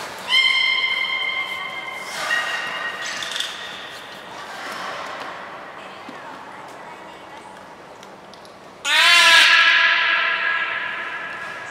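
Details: Beluga Nana during a training session at Port of Nagoya Public Aquarium on 13 April 2019, giving drawn-out harmonic tones with short breathy bursts between, then a loud abrupt squealing call rising in pitch before trailing off.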